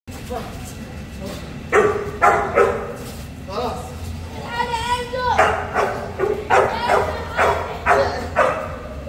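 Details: Boerboel, or South African Mastiff, one of a pair living in Egypt, gives a series of deep harmonic barks in loose bursts, a longer drawn-out tonal call near the middle, then steady repeated barks about twice a second.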